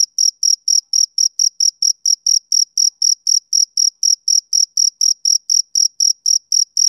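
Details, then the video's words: Male cricket chirping, linked to summer evenings: a steady, high-pitched, pulsing chirp repeated about four times per second with even spacing, clean and without other sounds. "Cricket Chirping Sound Effect"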